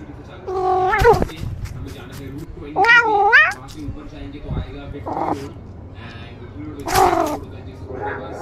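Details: A pet kitten meowing indoors: three loud, harmonic meows that rise and then fall, spaced about two to four seconds apart, with faint background speech and soft rustling between calls.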